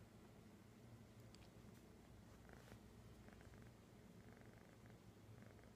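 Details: Found kitten in Sun City, California, on 11-09-2015, purring close up: a steady, low, rumbling purr that runs unbroken through the whole stretch, with faint soft rustles above it and no meows heard.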